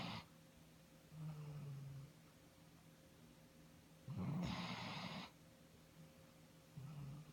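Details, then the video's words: Iggy, a pet dog, snoring on 19 March 2017; three rasping snores, the middle one loudest and broadest, separated by quiet pauses over a steady low hum. "Iggy Snoring"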